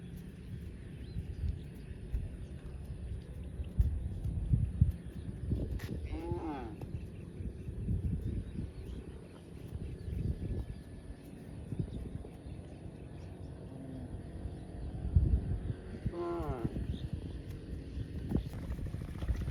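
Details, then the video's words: Grazing cow in a field lowing twice, about ten seconds apart, each a brief falling harmonic moo set against constant low rumbling wind and scattered thumps. "Cow mooing sounds & grazing in a field"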